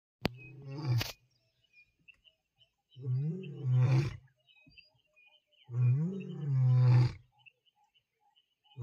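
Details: A lion roaring at close range in Tembe Elephant Park gives deep, rumbling roars, each about a second long, repeated every few seconds.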